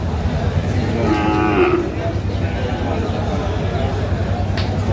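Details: Friesian or crossbred bull calf at the Aftabganj cattle market in Dinajpur, Bangladesh, 20 August 2025: one short, tonal moo lasting under a second, set against a constant low rumble and the hubbub of the market crowd.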